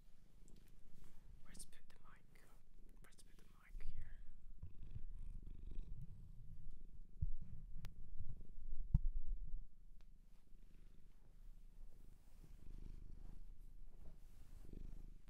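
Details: Shelter-adopted cat in Japan, recorded indoors up close: a low, steady rumbling purr runs throughout, with soft whispering and faint rustles early on and louder rumbling swells around four and nine seconds.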